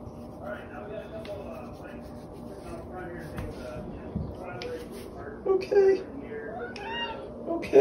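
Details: Domestic cat trading chatter with a person who keeps saying okay; two short, rising meows arrive near the end, set against the steady murmur of a loud television in the same room.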